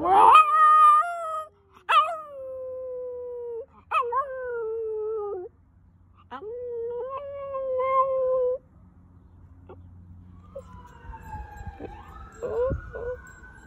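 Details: Dog named FOX, filmed in March 2020, practising howls: a string of about five sustained, wavering howls, each opening with a sharp upward yelp and separated by short pauses, then a thin, high, sliding tone near the end.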